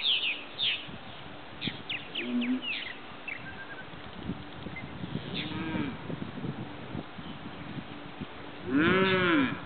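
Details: Mother cow defending her calf from a group of vultures on a farm, filmed on zoom from a neighbouring property; a low moo midway and a louder drawn-out moo at the end, with scattered bird chirps throughout.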